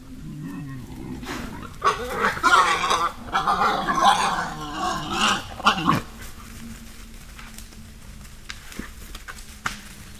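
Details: Wild boars, a herd in a spring forest caught on a trail camera, giving harsh, loud squealing and grunting calls for about four seconds, then quieter snuffling with faint clicks and rustling.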